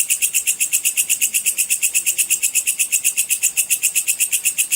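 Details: Sword grasshopper giving its full 'cicir' call, recorded as training material for contest songbirds: an unbroken train of sharp, high, buzzy pulses, very even, about six each second.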